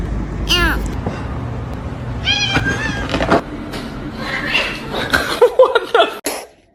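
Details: House cat letting out two brief rising-falling meows over steady background hum, followed by bumps, rustling and clattering noises.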